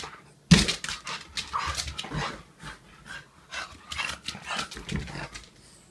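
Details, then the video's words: French Bulldog on a walk, happy and loving it: a sharp thump, then rapid breathy panting and snuffling bursts that come every half second or so, with scuffing steps and faint rustling throughout. "French Bulldog. I love walking so much."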